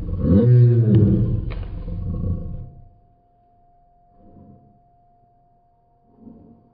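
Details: Lady, a Great Pyrenees dog, gives a deep, drawn-out roaring growl mimicking a dinosaur, loud for about two seconds, then trailing off; softer low grumbles follow later, indoors.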